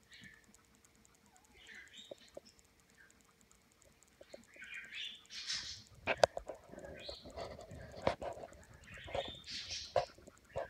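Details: English Springer Spaniel puppies only hours old, born June 10, 2016, give thin, high squeaky whimpers, some rising and falling, over a faint steady hum.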